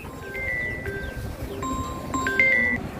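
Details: Bright chiming mallet tones ring out over a soft rumbling background, with no animal call audible.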